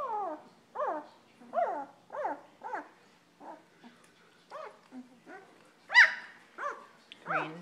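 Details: Nearly two-week-old German Shepherd pups snuggling in at bedtime: a run of short, arched whimpers and yelps, roughly one every half second to second, with a sharper squeal near the end, indoors.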